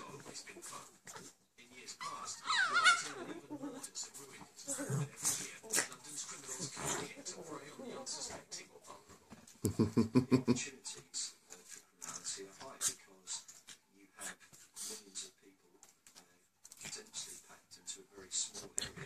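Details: Male Shih Tzu puppy playing with his mother indoors in Thornhill, Scotland, on 22 May 2014; an early high, rising whine, then scuffling bursts and short grunting noises, with a person talking softly to the dogs throughout.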